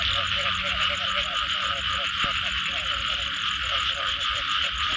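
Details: Frogs call together after rain in a dense, pulsing chorus, with steady high trilling layered above.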